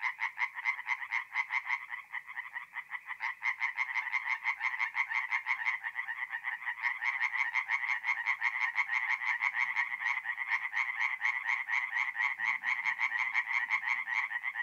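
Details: Tree frogs at a forest pond at night in mid-April in north-east Italy call in a dense, continuous chorus of rapid, rattling croaks.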